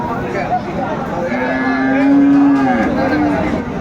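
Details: Friesian or cross-breed bull calf at Aftabganj cattle market in Dinajpur, 10 September 2024: a single drawn-out, level tonal moo swelling in the middle and fading, over steady crowd murmur.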